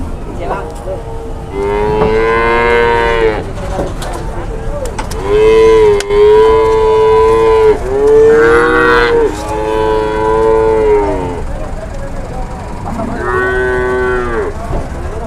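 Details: Large cattle being loaded onto a tronton truck at the Sobo cattle market in Indonesia. Several loud, drawn-out moos follow one another, each a steady harmonic bellow of one to two seconds with short gaps, and a final shorter moo. Faint voices are in the background.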